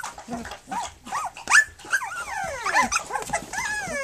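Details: Brief burst from a litter of three-week-old puppies belonging to Flute, during nursing and play: several rising-then-falling whimpers and a couple of long descending whines, close and clear.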